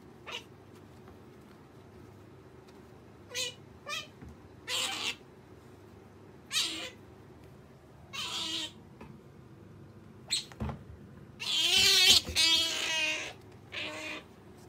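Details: Female pet otter calling while wanting jerky: short, sharp, high squeaks and chirps come in scattered bursts. Quiet gaps separate the bursts, and a longer, louder run of squealing comes near the end.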